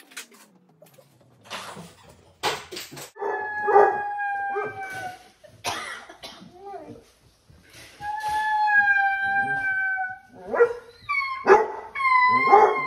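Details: Basset hound indoors on a weekend: scattered snuffles and short bursts give way to a drawn-out howl with clear harmonics, then a few shorter rising wails near the end.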